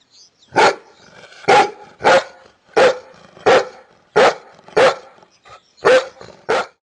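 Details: Domestic dog barking about nine times in quick succession, short sharp barks roughly every half second to second, with faint rough breathing between them.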